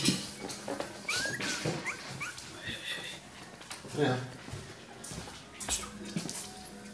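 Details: Miniature Schnauzer puppies, three weeks old, at Christmas; thin, high whines and squeaks rising and falling in short bursts, mixed with a woman's voice calling a dog's name and household rustling.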